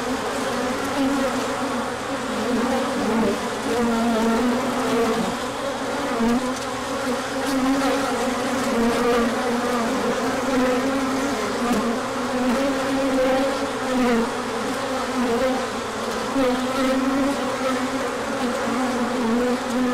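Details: Many bees in a large orientation flight on a sunny spell after cold days, 24 March 2024, pollen coming in: an unbroken swarm drone, low humming tones rising and falling slightly, steady in loudness across the whole stretch.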